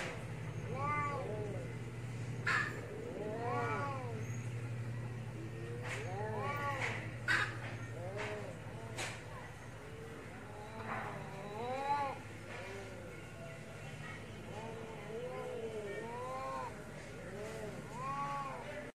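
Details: Cat (Felis catus), fighting yowls: aggression during a fight between cats.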